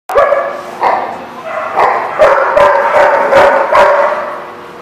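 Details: Dog barking loudly at close range, recorded 28 March 2014; about eight sharp, harmonic barks at irregular intervals of roughly half a second, each bark ringing with a slight tonal whine.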